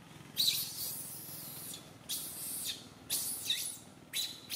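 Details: Baby monkey Santo crying loudly on a tree branch while mother Sara cannot care for him; four harsh, high, noisy screams, each about a second long, with short gaps between them.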